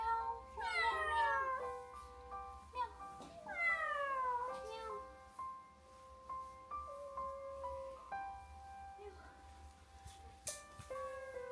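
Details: Three abandoned kittens with pneumonia caused by cold weather, resting alone: two clear, high, descending meows in quick succession near the start, then gentle music carries on with a sharp click near the end.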